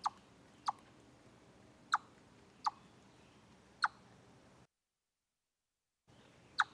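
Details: Chipmunk captured from a live stream at Deer Trail on 27 August 2013: six sharp, clipped chips spaced roughly one second apart over a quiet background, with a brief dropout of total silence near the end.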